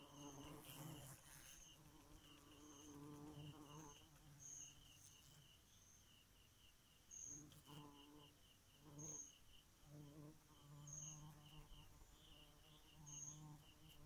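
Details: Bee at night making an intermittent low buzzing drone that comes and goes in bursts, accompanied by a high chirp repeated roughly every two seconds and steady pulsing insect trills behind.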